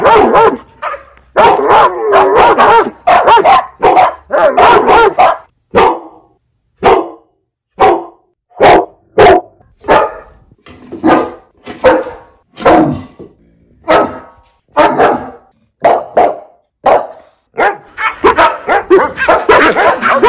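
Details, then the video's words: Domestic dog barking loudly, part of a compilation of fifteen breeds: rapid runs of sharp, harsh barks, dense at first, then single barks spaced about a second apart, ending in another quick flurry. "Dogs Barking Sounds Compilation"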